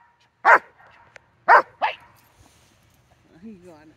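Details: Dog under training with collar line and harness, September 4, 2022: three abrupt barks, the last two close together, followed by a short stretch of a man's voice.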